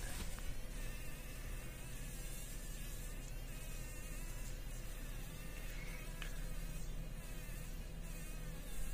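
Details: Fly caught in a spider web in a workshop corner, struggling to survive: a low, steady droning buzz with faint tonal bands, held under constant broadband background noise with no clear pauses.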